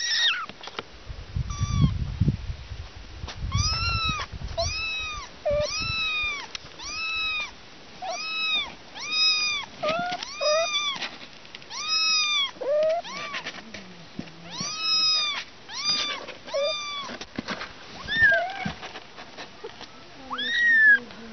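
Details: Three kittens and their mother: a steady run of short, high, arched meows, one roughly every second for about twenty seconds, after a burst of low rumbling handling noise at the start.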